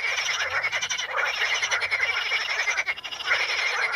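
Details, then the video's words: Frogs calling among curled pondweed (Potamogeton crispus) at the Ispani mires, many voices overlapping into a continuous buzzing, trilled croak chorus with quick rattling pulses and brief dips in loudness. "the sound of frogs"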